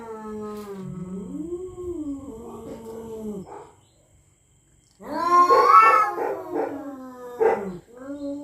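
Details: Rival territorial cats at night trade threats: slow, low, moaning yowls that bend up and down, then a pause of near silence before a louder, harsher burst of strained wailing.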